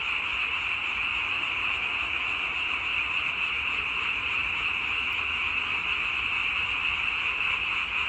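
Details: Frog chorus: a dense, unbroken wall of overlapping croaks and trills, high-pitched and steady in loudness throughout, with no single caller standing out and no other clear sounds.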